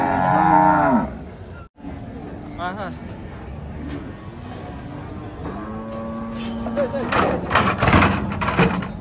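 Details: Cattle unloading from a truck: a loud moo opens, then after a pause another drawn-out low moo follows. Human voices and clattering noises are heard toward the end.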